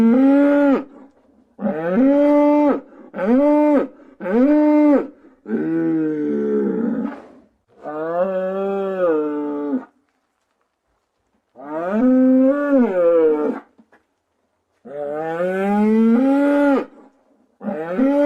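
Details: Cows moo repeatedly in long, harmonic-rich calls that rise and fall in pitch.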